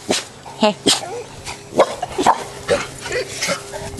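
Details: Boerboel puppies, female, during socialisation to new sights and sounds; short sharp yips and small barks roughly once a second, some with a rising pitch, while a person speaks soothingly to them.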